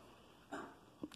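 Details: Female Siberian husky performing tricks on command for her owner, including barking to count; one short, sharp bark with a brief softer yelp about half a second later, during a quiet pause between spoken 'stay' commands.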